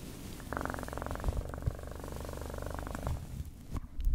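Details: Domestic cat purring close up, a steady low rumble with a pulsing, buzzy mid-pitched layer lasting about two and a half seconds before fading, with faint taps and rustles around it.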